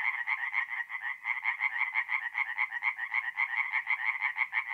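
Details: Tree frogs chorusing at night at a forest pond in North-East Italy in mid-April: dense, rapid pulsed croaks overlapping into a steady rattling chorus, pulses throbbing about twice a second, with no other sounds.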